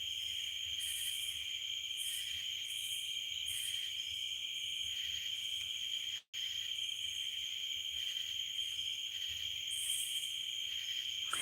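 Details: Night chorus of crickets and cicadas outdoors on a farm under a full moon. An unbroken, high, even trill runs throughout, with a higher buzzing layer that swells in short pulses about every second, and one brief gap near the middle.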